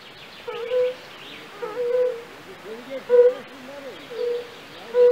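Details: European fire-bellied toad in a pool in a castle park in Raduň, Opava district, Czech Republic, giving pleasant, soft hooting calls, not croaks. Short low pure notes come at uneven gaps of about a second, with faint higher chirps and background hiss.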